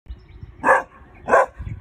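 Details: Male Weimaraner puppy under five months old, barking to alert at an intruder: two short, sharp barks about half a second apart over a quiet background.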